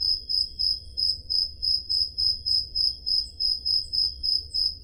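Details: Crickets on a Greek summer night in Peloponnese, recorded on a Zoom H5: a continuous high, ringing chirp pulsed about three to four times each second, with a quiet low-frequency rumble behind.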